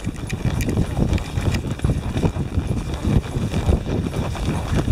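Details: Four Tennessee Walking Horses on a winding trail ride near Brenham, Texas, under a gathering storm: dense, dull clip-clop of hooves on the ground, overlapping irregular thuds with no clear gaps, low and earthy, steady throughout.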